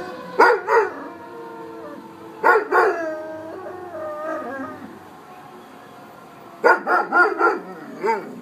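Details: A young dog, a year and a half old, howling at a passing fire truck; several rising-and-falling harmonic wails come in three bursts, with softer drawn-out howling between them and a person speaking nearby.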